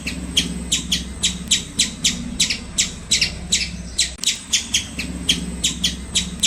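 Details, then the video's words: Steady run of squirrel chirps, each a brief scratchy burst repeated about three times a second with a short break midway, over a low steady hum. "Squirrel Making Cute Sounds"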